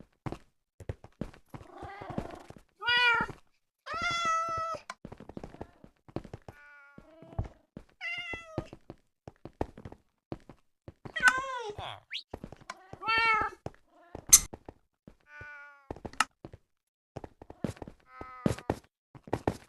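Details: A pet cat calls out to other cats with repeated meows, some short and bright, others longer with a bending pitch, arriving every second or two amid frequent clicks and thumps.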